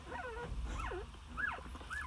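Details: Newborn Jindo puppies, two days old and nine in the litter, with their mother Sarang tending them. Thin, separate whimpers each rise and then fall in short arcs, spaced apart over a low background rumble.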